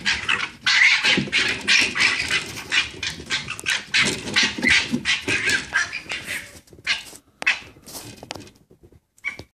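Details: Red fox cubs being noisy in a back garden in Camden, UK, heard from indoors with the window closed: harsh, raspy screeching bursts tumble over each other for about seven seconds, then fade into a few scattered, sharper yelps.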